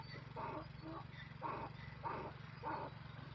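A donkey brays in a series of harsh, rhythmic pulses over a steady low hum.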